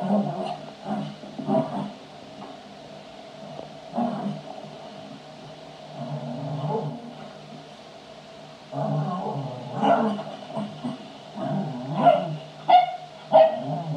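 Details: A Cavalier King Charles Spaniel, while playing, gives throaty, growling barks and drawn-out howling yowls in uneven bursts.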